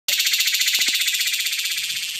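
A cicada's calling song: a loud, high, harsh buzz pulsing rapidly and steadily.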